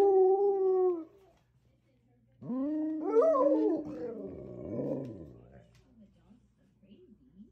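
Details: Alaskan Malamutes, three pet dogs indoors, howling while one of their videos plays back on a computer screen; a long steady howl, then a pause, then overlapping rising and wavering howls with some grumbling, fading into softer yips.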